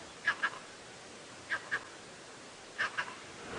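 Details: A vervet monkey sits atop a tree in an African safari reserve on the afternoon of 29 September 2016. It gives harsh, barking alarm chirps in quick doubled pairs about every 1.5 seconds, warning of lions lying just below.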